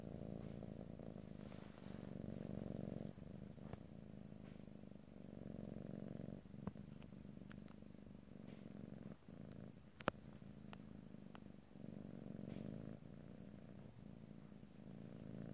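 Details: Pet cat giving a deep, even purr in stereo, rhythmic breathing swells with short pauses, plus a few faint clicks and one sharp tap around ten seconds.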